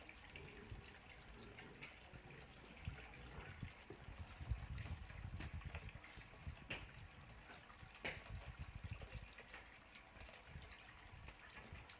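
Running water and splashing, like a tap filling a sink, with occasional clicks and knocks.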